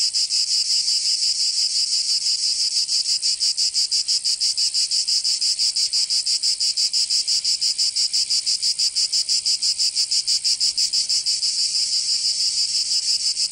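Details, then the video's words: Provençal cicadas in summer, southern France, keep up an unbroken shrill buzz that pulses rapidly and evenly, about three beats a second, for the whole stretch, with no birds or people. "Canto Cigarra"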